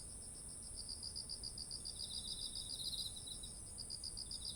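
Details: Insects of autumn near ripening rice paddies: a fast, evenly pulsed chirping train continues throughout, joined midway by a fainter lower trill, with a constant shrill drone above and soft low ambient noise.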